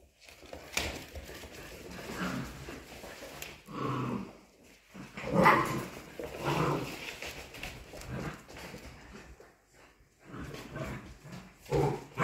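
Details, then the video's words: Polish Hunting Dog puppies, 55 days old, playing indoors; short yelps, whimpers and small barks come in bursts with pauses between, alongside scuffling and knocking noises of play. "Gończy Polski zabawa szczeniąt dzień 55. Polish Hunting Dog puppies' play day 55"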